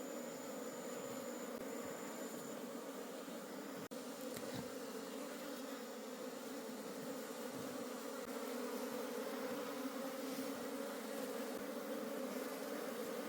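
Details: Wild honey bee colony in a forest, buzzing as its honey is harvested and the colony is taken home. A thick, unbroken swarm drone stays level for the whole stretch, with a few faint clicks and a thin high tone early on.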